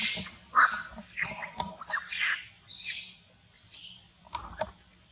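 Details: Monkeys in a cruel fight near a forest to get a queen: bursts of harsh, piercing shrieks and squeals tumbling over one another for three seconds, then quieter thin whines and a few clicks.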